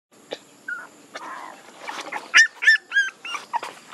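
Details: Puppies making a few faint high whimpers early on, then louder short whining yelps rising and falling in pitch, about four or five in quick succession toward the end.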